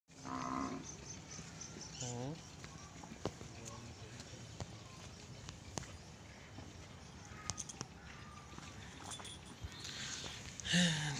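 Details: Nili-Ravi buffalo in Pakistan, kept for sale: short, low, harmonic moos sound at the start, again around two seconds with a falling pitch, and once more at the end, with scattered clicks and faint background noise between them.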